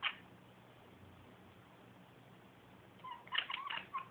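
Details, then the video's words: A female cat staring out a window makes a quick cluster of sharp clicking chirps in the last second, after a long stretch of quiet room hum. "Cat makes clicking sound while staring out window"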